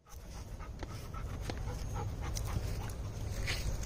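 A Golden Retriever puppy pants quickly and unevenly, with a few soft whimpers, over a low rumble.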